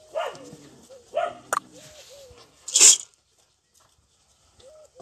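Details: Belgian Malinois puppies in Türkiye give two short, harmonically rich yelps about a second apart. Soft, thin whining notes follow, then one loud noisy burst near the three-second mark before the sound falls nearly quiet.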